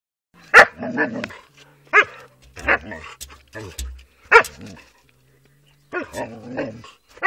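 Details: Dog fighting with other dogs: sharp broken barks and harsh snarling bursts in quick clusters, with short quiet gaps between outbursts and a low hum in the background.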